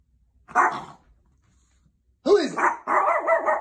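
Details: Chihuahua barking in alert at someone at the door: a sharp bark, a pause, then a rapid burst of high, yappy barks with whining edges, indoors.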